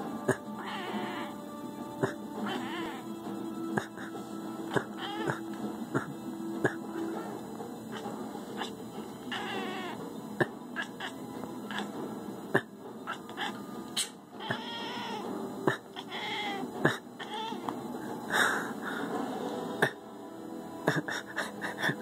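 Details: Domestic cat giving repeated drawn-out, wavering meows spaced a few seconds apart, mixed with clicks, knocks and background music throughout.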